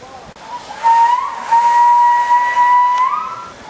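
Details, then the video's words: A male walrus at Dolfinarium Harderwijk, Netherlands, in April 2010, during mating season, gives a long, steady, pure-toned whistle to attract females. The whistle is held about two seconds before rising slightly. "Walrus whistling at Harderwijk"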